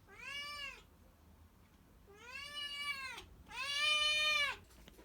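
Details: A silver tabby and white kitten meows loudly asking for food: three long, drawn-out, arching meows about a second apart, each rising then falling, the last one loudest, indoors with faint background hiss.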